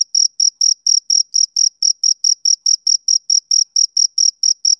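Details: Male cricket chirping steadily, a clean high-pitched pulse train of about four short chirps per second, each chirp sharp and evenly spaced, with nothing else audible in the background.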